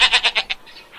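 A goat gives a short, quavering bleat, broken into quick pulses that fade out.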